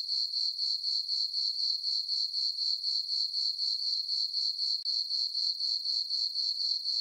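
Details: Night chorus of crickets in a summer meadow on a farm under a full moon: shrill, metallic chirps pulsing steadily around four per second, briefly broken once midway.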